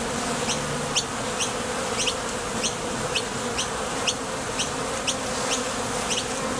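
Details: Wing buzz of honey bees leaving and landing at a Top Bar Hive entrance while foraging for nectar. A continuous low hum runs throughout, with faint high clicks spaced regularly.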